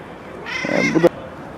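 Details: Street-dwelling stray cat, once someone's pet, its head scarred with wounds, utters a short clear meow, bright and harmonic, ending with a sharp click; quiet hiss surrounds it.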